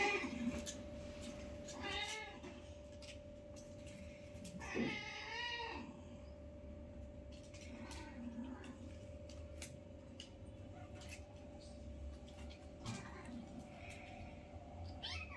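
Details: Five newborn kittens with their mother, playing together for the first time; two clear, arched meows a few seconds apart, the second longer and louder, then scattered soft rustles and a faint later mew over a low hum.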